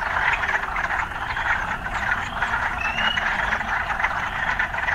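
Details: Frogs in an urban setting croak together in a dense, unbroken rasping chorus, with one brief upward-sliding note partway through.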